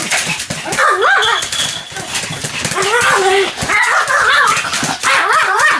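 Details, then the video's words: Pomeranian Sam making wavering, whiny yelping barks almost without pause, overlapping with human speech throughout. "犬の鳴き声 ポメラニアン サムちゃんの連続吠え集"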